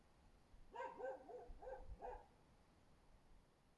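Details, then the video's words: Husky barking beneath a window on Öreg út, 24 February 2024; four quick, slightly nasal barks in about a second and a half, distant-sounding over faint background hum. "husky ugat az ablakunk alatt"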